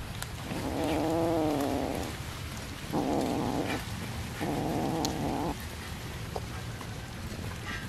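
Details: Fed fish, a cat lets out three clear, sustained meows, the first long and wavering, the next two shorter and steadier, each about a second long, over a hissing background.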